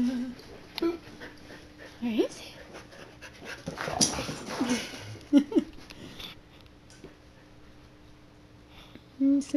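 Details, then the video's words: Siberian Huskies at play let out short, high whines and yips scattered through the clip, mixed with panting, rustling and a person talking and laughing. "Huskies Playing"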